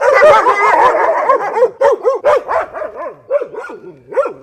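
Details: Several dogs barking loudly as a pack: a dense opening burst of overlapping barks, then separate rising-and-falling bark-yelps repeating roughly every quarter second, fading toward the end.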